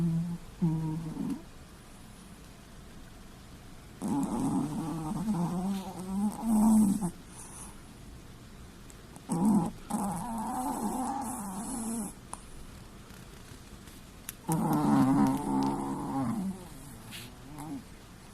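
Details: Sleeping Chihuahua snoring in a small indoor room: four spaced bouts of rough, buzzy, low snores, each lasting about two to three seconds, with quiet breathing gaps between them.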